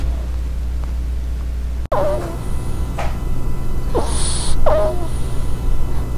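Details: Pet ferret in an ASMR recording: a few short, high squeaky chirps with soft breathy rushes, over a steady low hum and a sharp click near the start.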